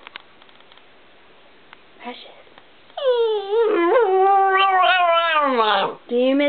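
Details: A female pet dog named Precious howls mournfully after her owner's son, home from three weeks away, leaves again moments after arriving. Quiet room and faint speech first, then a long wavering, rising-and-falling howl with rich harmonics, briefly breaking before resuming.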